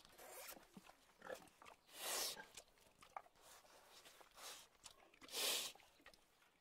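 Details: Pig making soft scattered grunts and snuffles, broken by two short hissing squeals about three seconds apart, with faint background clatter.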